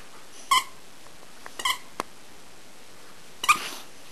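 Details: Turbo, a rescue dog, barks indoors while doing tricks on command: three short, sharp, high yips spaced one to two seconds apart, with faint clicks between them.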